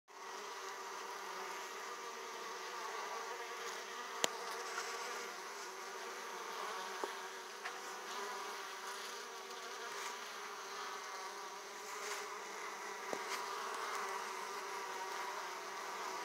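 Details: Many Italian honey bees at an opened hive, returning laden with pollen, make a dense, continuous, steady buzzing hum, broken only by a few brief sharp clicks or taps.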